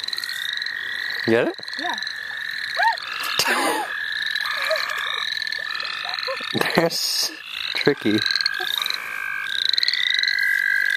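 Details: Frogs at the St. Olaf College Natural Lands, heard as people go frogging. Steady trills and repeated rising chirps continue beneath frequent bursts of human talk and handling noises throughout.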